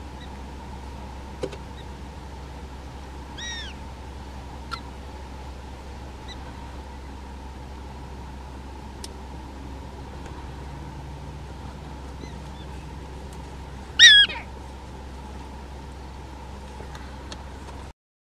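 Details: Prairie dogs in a small prairie dog town in North Dakota, filmed with a Canon SX70HS: a faint pair of chirps early on, then one loud, sharp, harmonic-rich bark near the end, over a steady low hum.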